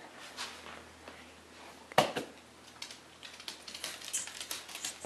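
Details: Quiet small room with scattered clicks, taps and a sharp clatter near two seconds, like dishes or tapping.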